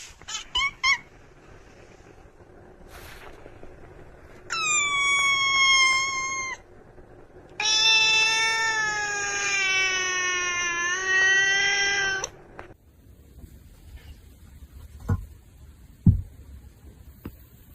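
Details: House cat lets out brief squeaky chirps, then a two-second meow and a long, high, strained yowl lasting over four seconds, with a few clicks afterward in a quiet room.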